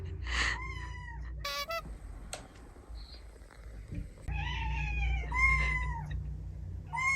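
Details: Indoor playback of young Tsukushi's kitten meows, which drew the home's other cats together. Bright, harmonic meows come in bursts, with clicks and tapping between them and a faint steady high tone throughout.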